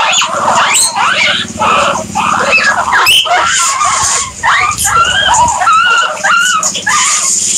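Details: Guinea pigs wheeking loudly and continuously, shrill rising-and-falling squeals repeated in quick succession, several overlapping, with a low buzzy rumble underneath at times.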